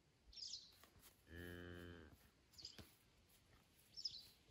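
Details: Highland cattle calf on a farm in Finland, filmed 12 September 2022 on an iPhone 11, coming over to see what's up. One short, low, nasal moo of under a second mid-clip, with faint high chirps and a click before and after.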